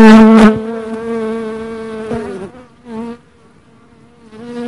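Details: Dark honey bee buzzing close by, a steady harmonic drone that starts loud and slowly fades, with short breaks and a quieter return near the end.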